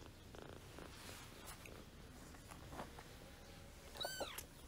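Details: Month-old gray kitten of wild blood from Paraguay, kept by a host family, trying to play with another kitten; quiet rustling, then a short double meow near the end with curved, falling tones.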